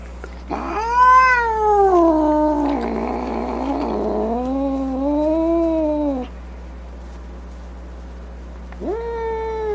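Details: Angry domestic cat giving a loud, drawn-out moaning yowl that rises then sags in pitch, breaking into a rough, noisy snarl midway, followed by a quieter falling wail and a short rising yowl at the end.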